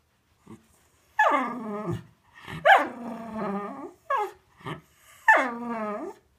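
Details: Cocker Spaniel; whine; wanting to go for a walk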